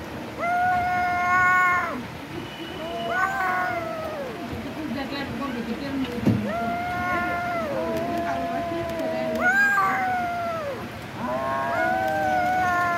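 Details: Kitten meowing while eating raw chicken: a string of drawn-out, mid-pitched meows, each holding steady then dropping at the end, coming every second or two, with soft background noise.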